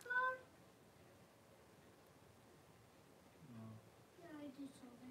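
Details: Blenheim Cavalier King Charles Spaniel puppies, a litter of five born at New Year, with their mother Paris in an indoor puppy pen, 26 January 2023. A brief high squeal opens, then a low grunt and a falling, drawn-out whine.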